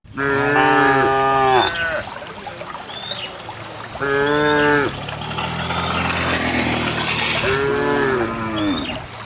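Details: Dozens of cows being herded along a narrow path to a farm pen give long, rich moos that rise and fall, with a broad rushing noise of hoofsteps between calls.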